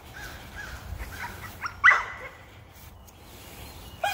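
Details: American Pit Bull Terrier outdoors, eager to go rabbit hunting, gives one sharp, loud bark midway, with faint softer yelps before it and a short noise at the end over a quiet background.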